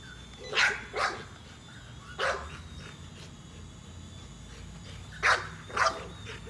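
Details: Nola, an American Bully, barks excitedly while chasing a drone, thinking she can catch it. The barks come as a quick pair, then a single bark, then another pair, over a constant high-pitched drone whine and low background rumble.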